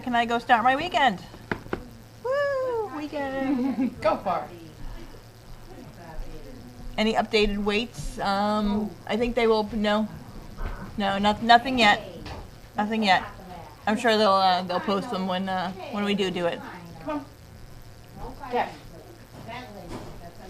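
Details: Dogs clamouring at gruel feeding time in a kitchen, January 20, 2017: loud, overlapping whines and yowls, rising and falling, in bursts packed close together, with a clatter or knock now and then and possibly human voices mixed in.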